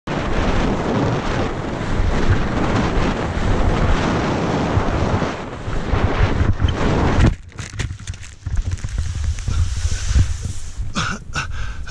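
Heavy wind rumbles against the microphone, easing after seven seconds to quieter gusts and faint rustling.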